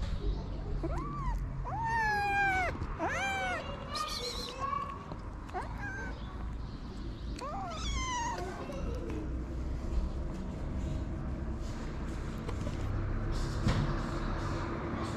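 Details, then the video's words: Hungry feral kittens, homeless and out in the cold, waiting for their mother's return and wanting to eat: a burst of loud, rising-then-falling meows in quick succession, a further pair midway, then quieter over a steady low rumble. "Kittens waiting for their mother's return want to eat."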